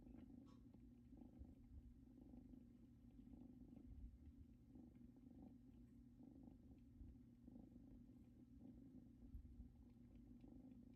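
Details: Pair of young kittens curled on a blanket from their mother's house, purring softly: a gentle low rumble with rapid regular throbbing, steady throughout, plus a few faint clicks in a quiet room.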